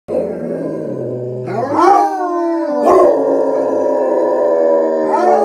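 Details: Four Basset Hounds, two on screen and two off screen as backup, howl together in long, wavering, mournful tones that rise and overlap.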